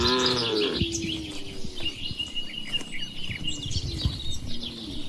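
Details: Cow lowing in a farm barn, one descending harmonic moo that opens the clip and trails into a lower held tone, then fades, leaving steady background bird twittering and soft barn knocks.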